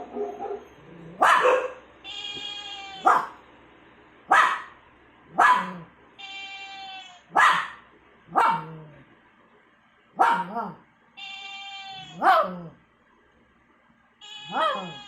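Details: Pet dog making annoying sounds: sharp, loud barks alternating with long, high, nasal whines, about one outburst every second, barks and whines trading back and forth over a quiet background.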